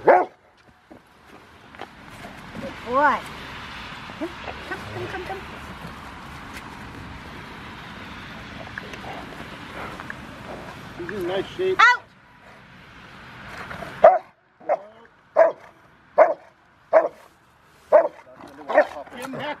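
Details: Rottweiler River v Schwarzerwald, five years old, in bite training before a ZTP trial, January 20, 2020. Human talking and background rumble fill the first part, then a run of sharp, regularly repeated barks follows.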